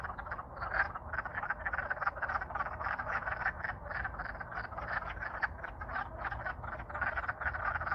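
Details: Wood frogs in Alaska in spring, courting after thawing from winter freezing, singing loud: a dense chorus of rapid, clucking, duck-like croaks overlapping continuously, many callers at once with no pause, a low rumble of background noise underneath.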